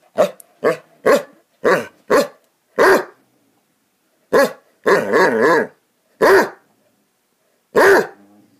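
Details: Playing Basset Hounds give deep, resonant barks, single and in short clusters with brief pauses, including one longer drawn-out yowling bark near the middle; no other sounds.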